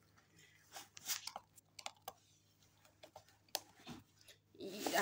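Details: Quiet indoor room with scattered crunching, chewing-like clicks and brief faint speech, ending in a burst of broadband rustling.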